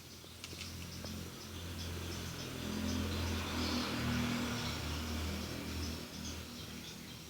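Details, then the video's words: Low, continuous purring from a feral kitten settled on a lap on a cold morning, swelling slightly louder midway, with a few faint clicks and steady hiss behind it. "Kitten purring"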